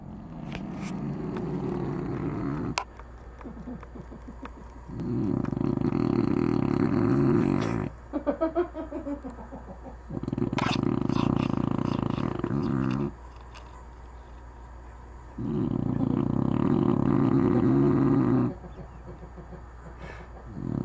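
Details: Anna, a sleeping dog, snoring: deep rasping bursts about two to three seconds long, returning roughly every five seconds, separated by quieter breathing gaps with faint rattling in between.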